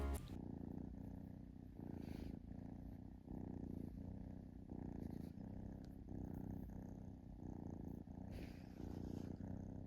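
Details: Kitten purring while relaxing indoors, a steady low rumble pulsing in breaths roughly every second, with a faint soft hiss above it.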